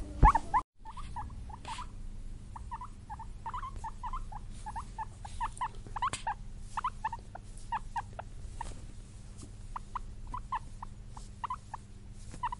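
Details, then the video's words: Excited, happy guinea pigs give a long run of soft, short squeaks, quick chirps following one another unevenly over steady low background hum. "Exited Guinea Pig Sounds: Guinea Pig Noises"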